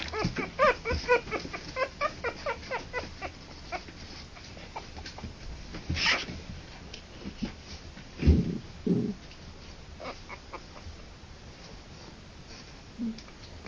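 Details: Harlequin poodle puppies three weeks old, born October 28 2009, open with a quick run of repeated squeaky whines, then go quieter, leaving scattered faint squeaks among bumps and rustling.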